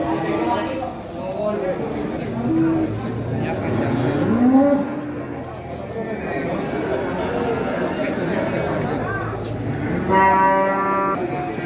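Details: Nearly one-ton sacrificial cow, a former contest runner-up, lowing as it steps down from a truck; a short rising moo midway and a harmonic bellow near the end, over chatter and background music.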